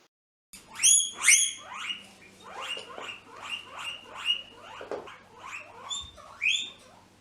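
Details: A guinea pig gives loud, high wheeking whistles in a rapid series of rising and falling squeals. This best-known whistle signals its position to others and calls the owner for food or attention.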